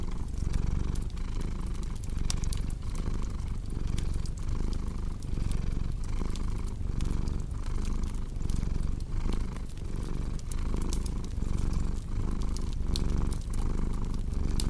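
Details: Continuous low rumbling cat purr with regular breathing pulses under a crackling fire, bright pops and snaps scattered across the whole stretch.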